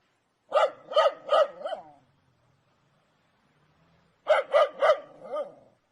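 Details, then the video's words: An angry dog fires two quick bursts of three crisp barks, each trailing off into a softer growly tail, with a silent gap of about two seconds between them. "Dogs barking sounds angry"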